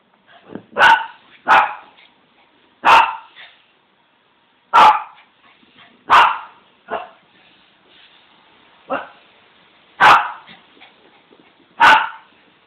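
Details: Simba, a dog, barking while being teased: loud, sharp barks in irregular bursts, about eight over twelve seconds, some doubled, with brief quiet gaps between them.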